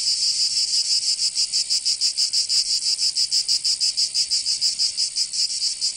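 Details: Cicadas of Provence, southern France, in summer, producing a loud, high-pitched buzzing song that throbs in fast regular beats, a chorus of many insects blended into one bright hiss.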